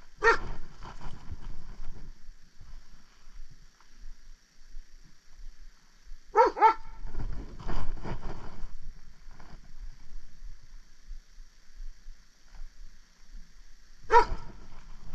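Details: Luna, a dog on an outdoor nosework search with squirrels nearby, gives three short, sharp, ringing barks spaced several seconds apart: one at the start, one mid-way, one near the end. Rustling and footsteps fill the gaps.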